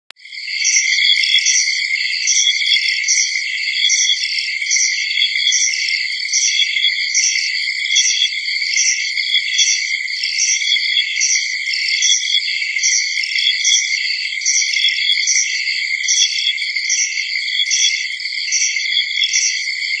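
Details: Insects chirp steadily in a high, continuous chorus of rapid pulses, an early-summer insect chorus.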